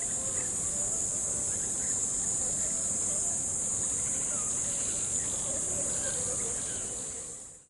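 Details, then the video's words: Crickets chirping beside a river: a steady, piercing high trill in a massed chorus runs unchanged, with faint low background murmur, before the sound fades quickly to silence at the end. "Crickets by the River Sound Effect"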